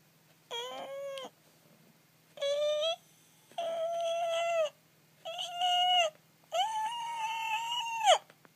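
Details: Captive pet arctic fox crying: five drawn-out, harmonic wailing calls, each about half a second to a second and a half, separated by short pauses, with a faint steady low hum underneath.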